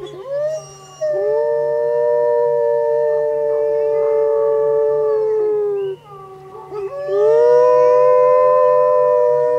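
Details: Chorus of wolves at the foot of Grouse Mountain, triggered by a car alarm: two long level howls, the first fading near six seconds, a second rising sharply and holding, multiple overlapping voices, steady low hum throughout.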